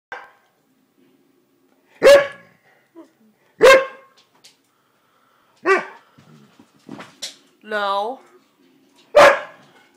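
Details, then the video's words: A male Siberian Husky talks back with sharp woofs and a wavering, yodel-like whine, complaining because he is not allowed on the bed. "Siberian Husky Talking"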